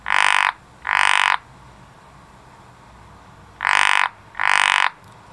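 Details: Garden frog giving loud, harsh, buzzing croaks in pairs, each croak about half a second, the two pairs separated by a quiet gap of roughly two seconds.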